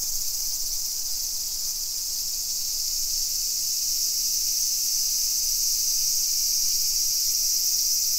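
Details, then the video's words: Summer cicadas in a suburban neighbourhood of Nisshin city near Nagoya, Aichi Prefecture, Japan, at 2 PM on 28 July 2021: a steady, unbroken high shrill buzz fills the air evenly throughout, with no other clear sounds. "Summer Cicadas Sounds"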